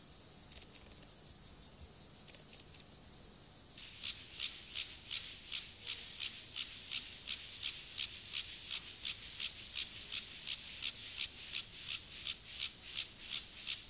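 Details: Acridine grasshopper Gomphocerus sibiricus singing in the context of sexual behaviour: a bright, high rasping pulse train, very regular at nearly three pulses per second, sharpening into crisper, evenly spaced chirps after a hissier opening stretch.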